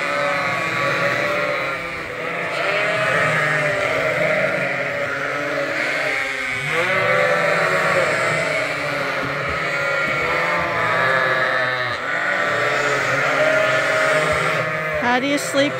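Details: Lambs at Ewetopia Farms call nonstop in the barn before their twice-daily bottle feed. These are bottle babies still kept with their mothers. Dozens of wavering, nasal bleats overlap in an unbroken din for the whole stretch.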